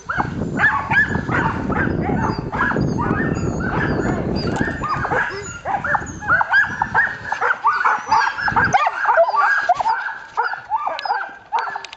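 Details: Samoyed team barking eagerly before a long dryland carting run on a cold, windy January day at 10 degrees F; many dogs yelping over one another nonstop, with low wind noise in the first half.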